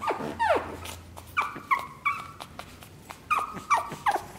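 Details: Pug puppies whimpering: a high whine that slides steeply downward, then a run of short, piping whimpers repeated several times a second, each brief and clear against a quiet background.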